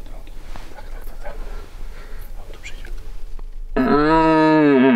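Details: Stag of red deer in rut gives one loud, deep, droning roar that begins abruptly after a stretch of quiet human whispering and rustling, holding steady to the end.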